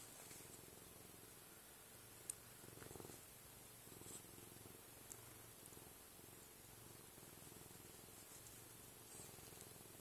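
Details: A domestic cat purrs while eating: a soft, low, steady rumbling purr throughout, quiet against faint indoor room noise with a few small clicks.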